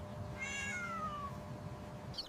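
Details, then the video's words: Playful kittens: one thin, high mew that slides steadily downward in pitch, followed by a faint short squeak, over a low steady background hum. "Next up in our animal compilation, the sounds of playful kittens meowing and chirping."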